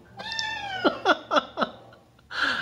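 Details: Crying non-stop for his mother in a Denver hotel room, a blue-eyed white Persian kitten, seven months old, gives a long level mew, then four short squeaky yelps in quick succession. A soft voice speaks afterward.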